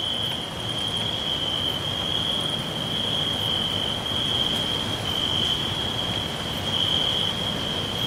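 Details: Forest crickets keep up a continuous shrill trill, with faint pulses of other insects higher up and a constant low rushing noise underneath.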